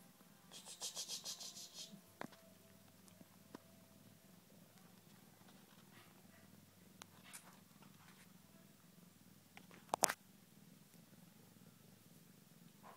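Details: Sleepy Tonkinese kitten purring with a low, steady, even rumble throughout, a few soft clicks and rustles, and one sharp knock near the end.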